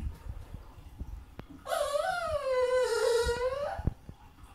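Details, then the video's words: French Bulldog crying indoors while watching the film Beethoven on TV: one sustained, wavering, tonal wail of about two seconds that dips slightly and lifts at the end, with soft taps before and after. "French bulldog crying to beethoven the movie"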